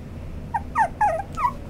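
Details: White male Toy Poodle giving a few short high whimpering yelps, each a thin tonal cry sliding downward, four in under two seconds over a low steady background hum.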